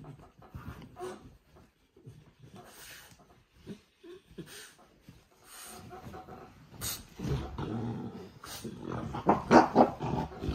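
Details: French bulldog Oleg giving rough, uneven growls and snuffling whimpers in short bursts, building louder near the end with higher whining tones mixed in.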